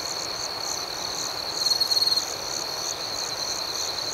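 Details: Nighttime cricket chorus of rapid, evenly pulsed high chirps, roughly four per second, over a continuous thin trill. A brief, louder, stuttering trill from a nearer insect rises midway and fades.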